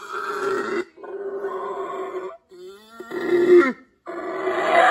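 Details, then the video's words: A primate makes a series of hoarse, buzzy grunting calls, each lasting about a second, with short silences between them. A faint sliding tone is heard in one gap, and the final calls grow rougher and louder. "weird sound of primates"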